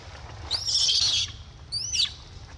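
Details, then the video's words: Baby monkey screaming because it has no milk: two shrill, high screeches, the first lasting almost a second, the second shorter and sharply bending, over a faint low background hum. "POOR BABY MONKEY SCREAMING NO MILK"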